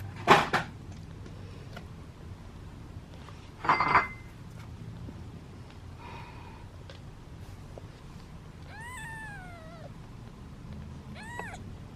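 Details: Impatient domestic kittens from a litter of seven, waiting in a basket for their meal; two loud clattering knocks open the clip, then near the end come two short, falling meows against low room noise.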